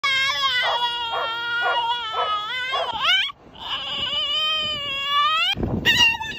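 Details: French Bulldog whining and yodeling in drawn-out, wavering high tones, several pulsing cries followed by a rising squeal, then a longer warbling moan and short nasal yelps near the end.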